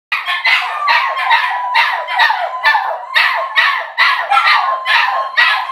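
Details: Two Border Terriers and a Jack Russell/Pug cross howling together to welcome their owners home, overlapping wavering howls pulsing about twice a second with yelping barks mixed in.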